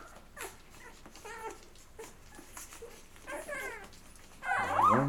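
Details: Labrador Retriever puppies, eleven days old, feeding and settling to sleep indoors; soft scattered whimpers and squeaks through the clip, ending in a louder rising whine.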